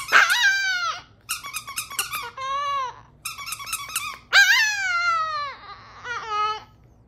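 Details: Tiny Chihuahua howling along to a song about a garden gnome indoors, with long falling howls alternating with bright, choppy musical phrases.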